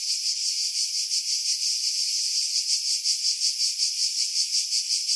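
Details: July chorus of cicadas in pines above Pefkos Bay on Skiros, Greece, filmed on a Sony RX3 with external mic: steady shrill buzzing drone with regular throbbing pulses, nearly three per second, wind filtered out.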